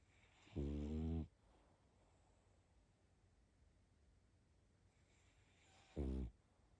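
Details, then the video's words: A sleeping pug gives two rough, rattling snores, the first longer and the second clipped short, separated by a long quiet stretch of soft breathing. "Спящая собака.Храп мопса."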